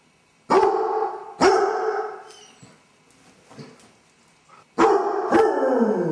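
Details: Basset Hound alone indoors with separation anxiety after its owners go out: four loud, sustained baying howls in two pairs, each ringing for a second or so, with quieter scuffling and faint noises between the pairs.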